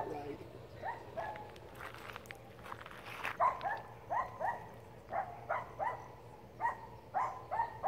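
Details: A poodle barks at elk outdoors, giving a long run of short, rising, high-pitched yaps, about one or two a second, with some soft rustling and faint voices behind.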